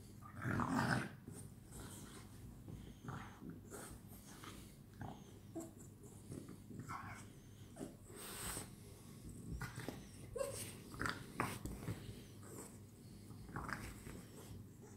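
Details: At night, French Bulldogs playing together make a loud growl at the start, then a long run of irregular grunts, snorts and short growls with rustling movement throughout.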